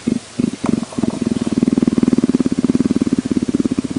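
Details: Leopard purring close up, a few short rumbles at first, then a steady train of quick, evenly spaced low pulses, about ten per second.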